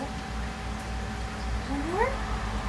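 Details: A Siamese cat being fed treats, standing up on its hind legs to reach them, gives one short meow that rises in pitch near the end. A steady low hum runs underneath, and people talk quietly.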